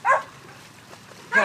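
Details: Dog at a dog park giving two short, sharp barks about a second apart, with quiet background between them.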